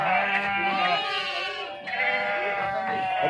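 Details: At Pattikonda market in Andhra Pradesh's Kurnool district, India, sheep jump down during unloading; two long quavering bleats, the second starting near two seconds, with other sheep and people faintly behind.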